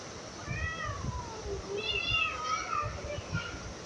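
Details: Domestic cat giving two soft, drawn-out meows: the first falls steadily in pitch, the second wavers higher before sliding down. A low, indistinct murmur runs underneath.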